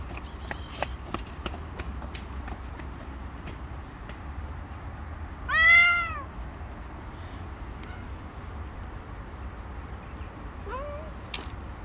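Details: Stray tabby cat and her gang gathered on the street demanding food: one loud rising-falling meow with clear harmonics around six seconds, a fainter short meow near the end, clicks and low background rumble throughout.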